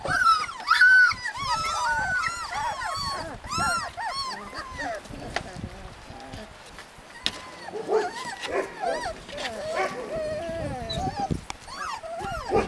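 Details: Husky puppies in Lapland yelping and whimpering, a burst of overlapping high cries at first, a quieter stretch, then more wavering whines returning.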